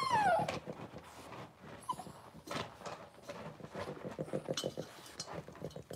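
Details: A blenheim Cavalier King Charles Spaniel puppy, six weeks old, from a litter of five in a home puppy pen, gives a short falling whimper at the start, followed by steady scratching and rustling from the pen.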